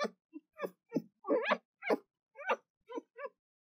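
An Arctic fox gives a quick series of hoarse, yapping barks, some rising and falling in pitch.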